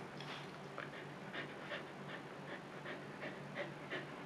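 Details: Female Siberian Husky named Luna in labor, giving birth for the second time and staying calm: quick, steady panting breaths, about three per second, soft and breathy throughout, with a faint low hum beneath.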